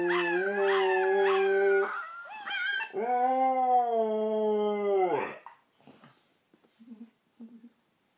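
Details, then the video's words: Siberian Husky howling at puppies, a long sustained tonal howl with rich harmonics, first steady then wavering and falling at the end, followed by a few soft yips and whimpers. "Husky howling at puppy's"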